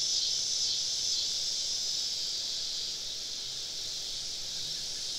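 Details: Cicadas in a dense summer evening chorus deep in southern woods, many all around a campsite; a steady, hissing high buzz with a gentle pulsing shimmer throughout, no other clear sounds.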